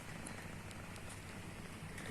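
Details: Mimi the cat is fast asleep and snoring loudly. The sound is a continuous low rumble with layered low bands and a soft hiss, and occasional faint ticks.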